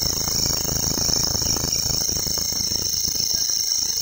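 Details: In a local forest, a grasshopper gives a steady, high-pitched buzzing trill over a soft background rumble.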